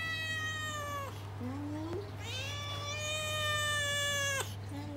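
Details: Rescued domestic cat giving long drawn-out meows: two sustained, harmonic-rich meows, each around a second or more, falling slightly at the end, with a steady low electrical hum underneath and a brief soft human voice between them.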